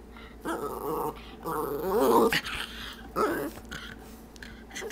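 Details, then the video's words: Stormy, a pet dog indoors, vocalizes while eyeing the treat jar, wanting a treat: a run of warbling, growl-like moans rising and falling in pitch, in three bursts, with a final short yowl. "Our dog tries to talk"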